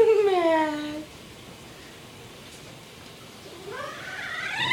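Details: Loud, whiny rescued kitten Mr. Whiskers, fitted with a diaper because he recently started spraying: one descending meow, a long quiet gap, then a rising meow beginning at the end.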